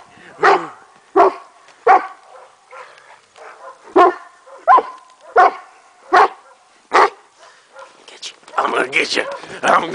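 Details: Kuvasz Zoltan playing with a boy in the snow: sharp, loud barks roughly every second, a few softer ones between, with a person talking nearby and rough crunching noise near the end.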